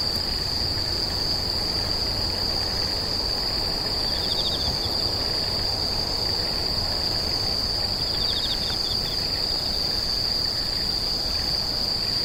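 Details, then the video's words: Screeching insects keep up an unbroken, shrill, high-pitched trill throughout, with two brief bursts of rapid pulsed chirps, one near 4 seconds and one near 8 seconds, over a soft low hum. "The sound of insects crying"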